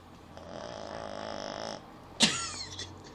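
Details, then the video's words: Sleeping puppy snoring: one drawn-out, buzzy, nasal breath lasting about a second and a half with rich overtones, then a short pause and a sharp knock, followed by quieter breathing in a small indoor room. "Funny puppy snore"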